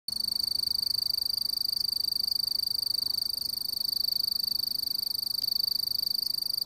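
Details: A mottled bush cricket (Eurepa marginipennis) gives its calling song, a steady, high-pitched, ringing trill without a break.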